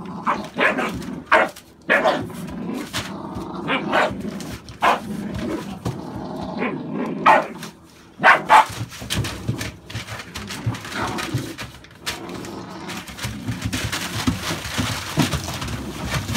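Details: Barking from American Staffordshire Bully dogs, a breed kept with puppies born November 2017. Sharp, irregular barks come in quick clusters with brief pauses, over a steady hiss and some rustling.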